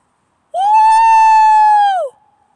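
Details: A single coyote (Canis latrans) gives a smooth, sustained howl that swoops up, holds steady, then drops away.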